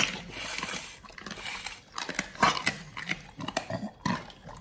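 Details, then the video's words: Raw-fed Pit Bulls chewing frog legs, soft shell crab and duck feet; low smacking and slurping mixed with loud crunching bites, denser in the second half, in a small indoor room. "Pit Bulls eat RAW Frog leg&Soft shell crab combo [ASMR]"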